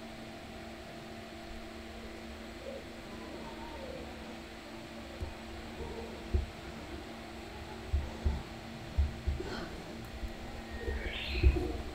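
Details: Low steady hum and fan-like drone at Takao-san monkey park, with soft knocks and a brief faint higher rustle, no distinct animal call.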